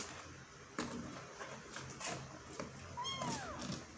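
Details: Kitten stuck in a hole and trying to get out: after soft rustles and a thump, a single clear meow rises briefly, then bends down at the close.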